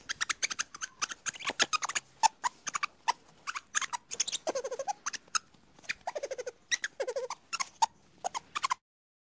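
A lemur gives rapid clicking chatter broken by short, wavering mewing squeaks.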